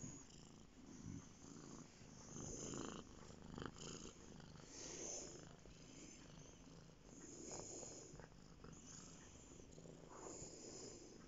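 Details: Domestic cat, a male, purring while lying on a bed indoors; close, breathy rumbling swells and fades in slow cycles with a hissy wash throughout.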